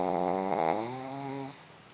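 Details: Sleeping pug snoring; one drawn-out, droning, buzzy snore with a low steady pitch that lasts about one and a half seconds and then fades into quiet.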